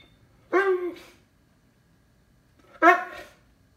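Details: Lord Loki, a Cane Corso, barks indoors while searching for his lost toy: two full, resonant barks about two seconds apart, each with a quick double pulse, in a quiet room.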